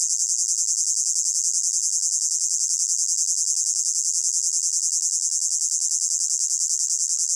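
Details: Summer meadow crickets in heat: a shrill, high, evenly pulsed trill, beating about three times per second, unbroken for the whole stretch, part of a mixed ambient soundscape.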